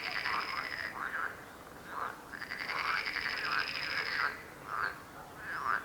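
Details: Frog croaking: rattling, pulsed croaks in uneven bursts, with one long buzzing stretch of about two seconds and shorter croaks scattered between, a steady high whine overhead.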